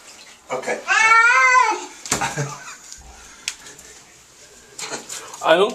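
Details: Churchill, a pet cat getting a bath to wash tar and oil from his fur, lets out one drawn-out, wavering, harmonic wail like a crying baby. Human speech and bathroom water noises follow.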